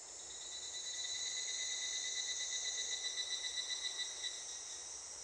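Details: Evening cicada (higurashi) calling near a school on the way home after feeding the school pigs, heard just as it began to sing; a continuous shimmering high-pitched trill with steady bands, pulsing slightly and fading a little toward the end.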